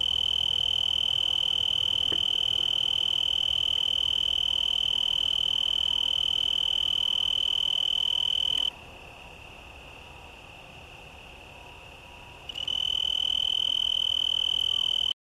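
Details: A male Oecanthus tree cricket sings from a yucca leaf in Garden of the Gods park, Colorado Springs, Colorado, USA, on September 24, 2015: a steady, high, pure-toned trill that pauses briefly and then resumes.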